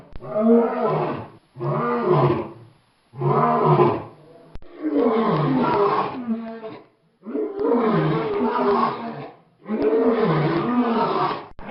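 A lion gives a series of deep, rasping roars, each lasting over a second.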